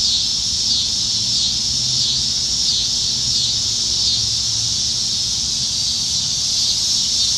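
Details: Summertime evening cicadas in Nebraska trees, July 2019, during the dog days when they are everywhere; a continuous shrill buzzing wall of sound with gentle, uneven surges, faint low rumble beneath.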